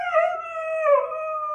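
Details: Female Siberian Husky Meeka argues back mid-lesson with a wavering, vocal howl. Its pitch rises, then dips and swells again before settling into a steady held tone as she is coaxed to learn to dance.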